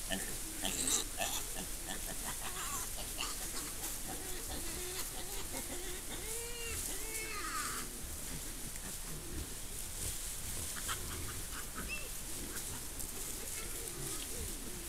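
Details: Wild boar females nursing their young, filmed by camera trap in the Monti della Laga, Gran Sasso national park, Italy: faint, scattered harmonic squeaks and soft grunts arching up and down over a steady, quiet background hiss.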